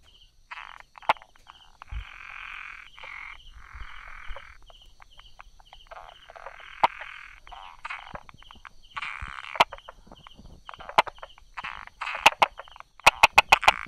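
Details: Brauer's tree frog hiding among rock crevices and grass, recorded 22 July 2016 at 10:44 in the morning; raspy, tapping bursts of calls come in clusters, with sharp clicks near the end and a steady pulsed buzz running underneath.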